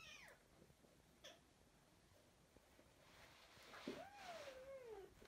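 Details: One of a pair of kitten sisters fostered in spring 2017 gives a drawn-out meow that rises, wavers and falls, preceded by faint brief mews, over a quiet indoor hiss.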